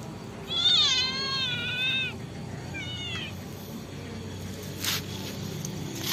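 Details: Pet kitten replying to its owner indoors: one long high wavering meow, about a second and a half, followed by a shorter, softer meow, over faint room noise and a brief rustle.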